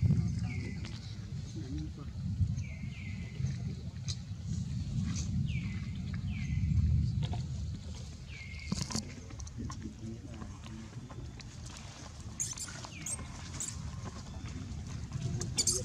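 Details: Young monkeys Liby and Rainbow, a baby screaming: short, high, downward-sliding cries come in bursts over the first half, with a few more later, above steady low rumbling background noise.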